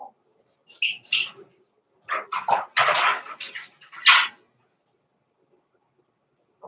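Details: Cavalier King Charles Spaniel puppies Roman and Blue, Blenheim litter born November 14, 2022, in their indoor pen before Christmas, let out a quick run of high, squeaky yips and small barks, about eight bursts within three seconds.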